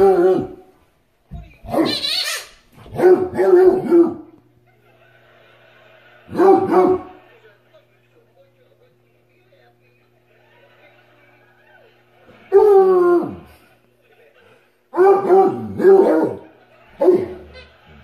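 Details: A Redbone Coonhound female gives short, ringing barks and yips in scattered bursts at her red squeaky ball while playing, the only toy she barks at, with a person's voice nearby.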